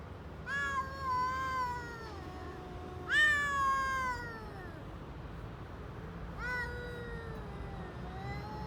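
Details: Hungry stray cats on an Istanbul street, Turkey, meowing for food as they eat: three loud harmonic meows, each rising sharply then sliding down slowly, spaced about three seconds apart, over low traffic hum.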